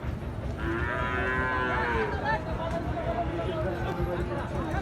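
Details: Gir and Sahiwal bull calves at the Ambari livestock market in Bangladesh; a drawn-out, rising-then-falling moo carries over a constant din of crowd chatter and background music.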